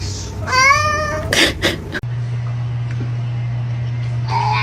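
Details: Domestic cat giving a single short rising then falling meow, followed by loud thumps and a steady low electrical hum in a quiet room.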